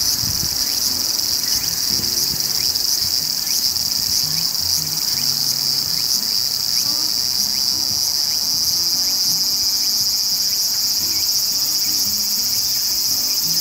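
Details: Steady, intense frying-oil sizzle of the large brown cicada (Graptopsaltria nigrofuscata) sustained without pause, overlaid by occasional faint brief upward chirps and a low murmuring background.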